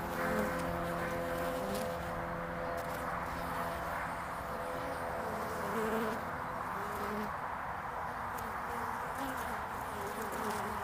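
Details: Early spring traffic of honeybees at the landing board of hive Furzeleigh L3, recorded 22 February 2019: continuous buzzing drone with several bees' wing tones weaving at slightly different pitches, swelling briefly as bees fly close.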